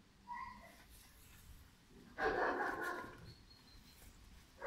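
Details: A single hoarse, drawn-out bark from Pirat, a five-month-old German Shepherd puppy, stands out against a quiet outdoor background, with brief faint sounds before it and a sharp noise at the end.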